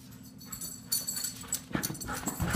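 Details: A Siberian Husky exercising inside the house gives short, breathy whines and yips over a steady low indoor hum.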